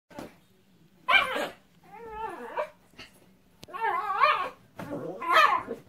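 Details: Male Miniature Pinscher indoors after rain, soaked and being dried off. Wavering, tonal whines and whimpers come in five separate bursts, some short and yelping, others drawn out with a wobbling pitch.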